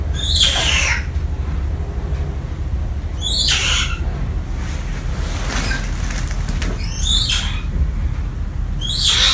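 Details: Pet baby grey-shanked douc langur named Lovely, orphaned by hunters and raised indoors in a family home, cries for her missing mother figure: four piercing, high squeals about two to three seconds apart over a steady low rumbling background.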